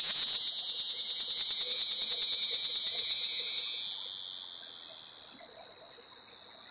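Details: Cicada in a pear tree giving its mating call close by: an intense, piercing buzz throbbing in quick even pulses, then smoothing into a continuous whining drone that wavers slightly in pitch.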